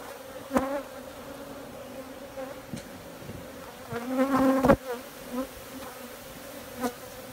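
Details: Honey bees drone steadily at a low pitch while several louder bursts of buzzing swell and fade, mixed with a few sharp clicks.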